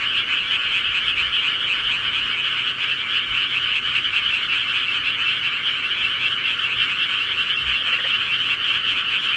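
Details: Night chorus of rural frogs, an unbroken wall of overlapping rapid croaks and trills holding an even loudness throughout, with no other sounds standing out.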